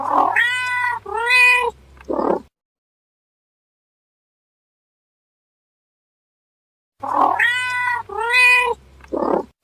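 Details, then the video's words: Cat calls in a pair of clear, harmonic, drawn-out meows followed by a short breathy sound. The same phrase returns after about four and a half seconds of silence, with a low hum beneath each phrase. "how cat meow"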